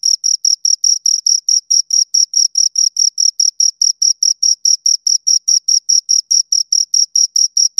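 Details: A pair of crickets chirps right at the ears, producing bright high-pitched pulses in a brisk, fairly regular rhythm, roughly three to four a second, over a completely quiet background.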